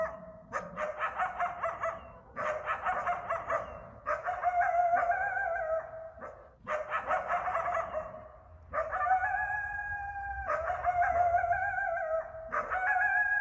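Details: Eastern coyotes (coywolves) barking and howling after dark in a Massachusetts backyard in Bellingham. Bursts of rapid, yapping barks are separated by short silences, and the later part brings long, flat, overlapping howls.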